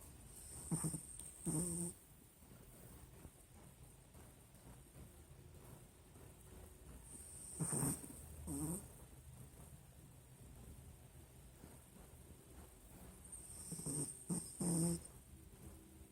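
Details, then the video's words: Nina, a pet Pinscher, snoring while asleep; rasping, breathy snores arrive in paired bursts roughly every six to seven seconds, separated by a low steady background hum. "Nina pinscher roncando"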